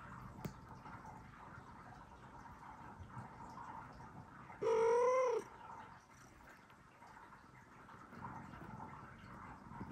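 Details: Newborn kitten, about one hour after birth, meowing loudly to call its mother cat: a single short, clear meow near the middle, briefly rising then falling, surrounded by quiet, low background hiss with no other voices.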